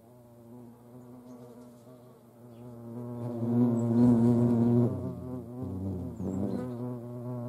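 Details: At a feeding place in Dohr in the Eifel, hornets among ants give a continuous low wingbeat drone that grows louder mid-clip as one flies close, then settles back.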